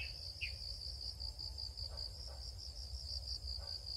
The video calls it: the chirping of cricketsn蟋蟀唧唧叫